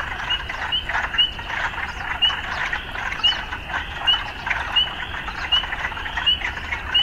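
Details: Frogs calling in an urban setting: a dense, steady croaking chorus with a sharp higher note repeating about twice a second over a continuous rough buzz.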